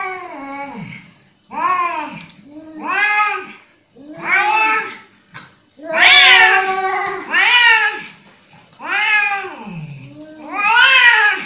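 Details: Angry cat voicing a string of about eight whining meows, each arching up and dropping away, coming roughly once a second with uneven pauses. Several calls rise into sharper, strained cries near the end.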